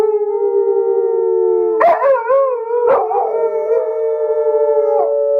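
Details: Dogs howl in long, steady, drawn-out tones layered over one another, broken by two short yelping bursts in the middle and a final yip near the end.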